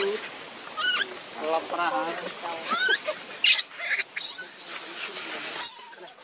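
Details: Newborn baby monkey named Leo crying and begging its mother for milk while hungry; thin, rising squeals with harmonic overtones come in short bursts through the first three seconds, followed by scattered noisy rustles and clicks.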